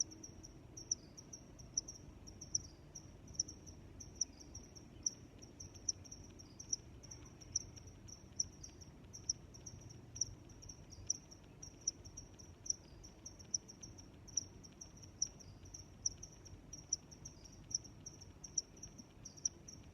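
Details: Crickets chirping in a nature setting: a steady high-pitched band of chirps with short pulses repeating about every half second, over a soft low rumble of background noise.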